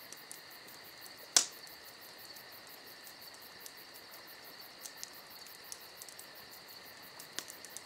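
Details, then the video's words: Summer night crickets keep up a continuous high, thin trill while a crackling campfire adds one sharp loud pop and several faint snaps. "Summer Night Crickets & Crackling Fire"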